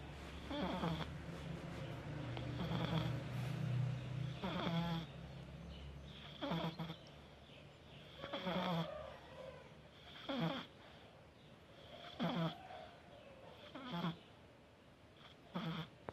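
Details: Sleeping cat snoring, drawing slow raspy breaths roughly every two seconds, each a short rough burst with a low steady hum beneath.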